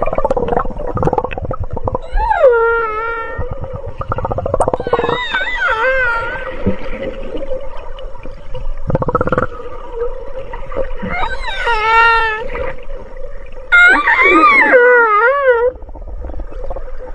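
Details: Dolphin crying: a series of wavering, bending whistles with rich overtones, some rising and falling in loops, over a steady low buzzing drone and gurgling clicks, with a person exclaiming beforehand.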